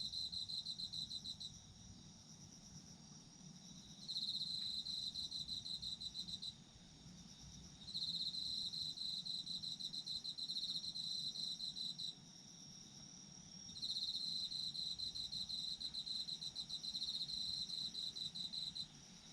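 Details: Night chorus of autumn insects: dense rapid trills repeat in bursts several seconds long, separated by quieter gaps, with a continuous high shimmering drone of other insects behind them.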